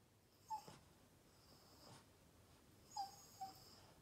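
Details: An upset Boston Terrier named Yoda wanting attention gives three brief, thin, high whimpers, one early and a pair near the end, with quiet breathing in between.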